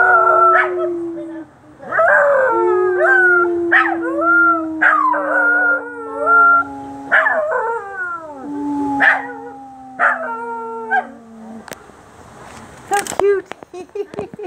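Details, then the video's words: Howling at sirens by two Scotties, black Precious and white Sophie: a long sinking howl runs under repeated short yipping bursts, then the chorus fades out around eleven seconds, leaving scattered clicks and knocks. "Scotties howling at the sirens."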